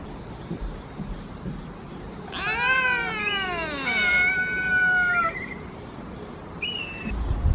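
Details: Mother cat with her kittens meowing to demand food: one long, drawn-out harmonic meow that rises slightly then slides down, followed after a pause by a short, higher meow.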